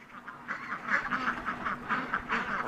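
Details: Piglets at breakfast feeding time give a rapid run of short nasal grunts, about eight bursts in under three seconds, over a steady low mechanical hum.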